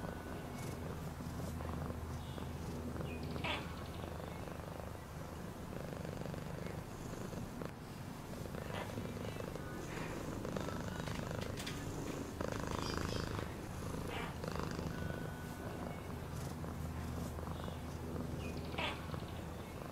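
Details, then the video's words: Domestic cat purring, a steady low rumbling throb that runs unbroken through the whole stretch, with scattered soft clicks and rustles above it. "Cat purring sound"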